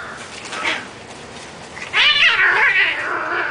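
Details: Domestic cats fighting: a faint yowl near the start, then from two seconds a loud, harsh, wavering caterwaul with rapidly pulsing harmonics that rises and falls, continuing to the end.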